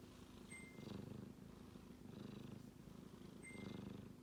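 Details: Low, buzzing snore from a sleeping male kitten, with three slow breath swells over a few seconds, interrupted twice by a short, high, clear beep.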